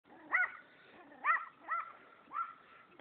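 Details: A white Pomeranian chasing a person gives four high, sharp yips spaced roughly half a second apart, each one a short bright bark.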